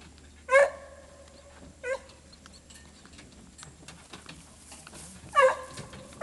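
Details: Dogs used for deer hunting; three short, high yelps at about half a second, two seconds and five and a half seconds, over a steady low hum.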